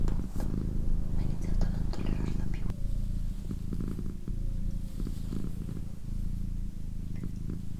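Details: Indoor pet cat, female, purring in a calm recording: low, even rumbling purr with faint rhythmic pulsing, accompanied by a person's low murmured voice and a few soft handling sounds.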